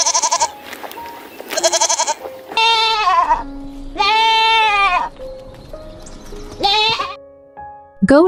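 A goat bleats several times, nasal quavering cries each about half a second to a second long, over soft background music.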